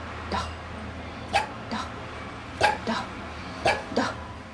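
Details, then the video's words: Domestic dog 'talking' on command, producing sounds meant to resemble several Russian words; five short, yelping, voice-like bursts spaced about a second apart, the last two close together, over a quiet room hum. "Собака смешно разговаривает"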